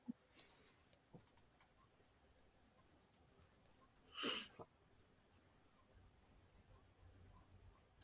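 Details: A loose feeder cricket, missed by a pet bearded dragon, chirps indoors during a live broadcast: rapid, evenly pulsed high trills, about four per second, running throughout, with a brief burst of human noise midway.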